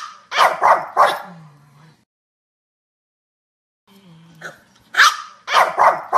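A dog barks in quick bursts of sharp, loud woofs, with a pause between volleys.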